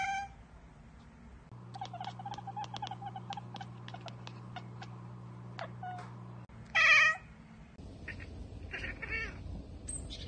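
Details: Pet cat chattering at unreachable prey such as a bird or insect, a run of fast clicking ticks over a steady hum, then a sharp loud chirp and broken harmonic bursts.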